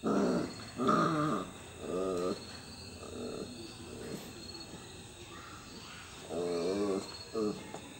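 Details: Labrador Retriever puppy playing with toys, giving a series of short, throaty, rising whine-growls in bursts about a second long, with quieter gaps and some handling noise between.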